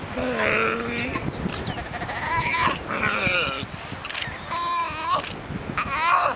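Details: Baby sea lion talking to its mother, giving quavering, goat-like bleats that rise and fall, several short cries about a second apart with brief gaps, over steady low background noise.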